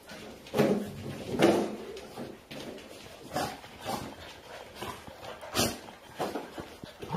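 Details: Golden retriever grandmother trying to get away from her grandpuppies: two short whimpering yelps in the first two seconds, then scattered scuffling, thumps and paw taps of the romping dogs.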